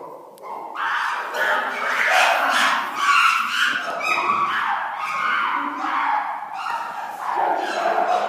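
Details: Several chimpanzees making loud noises: overlapping harsh, rising hoots and screams, densely layered and continuous, with bursts swelling and fading throughout.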